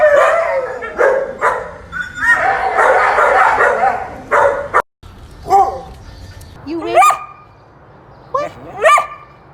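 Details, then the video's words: Dog giving a run of rough, noisy barks, then after a brief gap two high, rising whine-like squeaks that sweep upward sharply. "Weird sounds dogs make"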